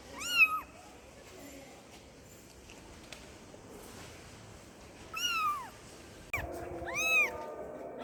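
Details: Kitten meowing to call its mother, three high arched meows, each under a second long, spread over eight seconds, with a steady low hum behind them.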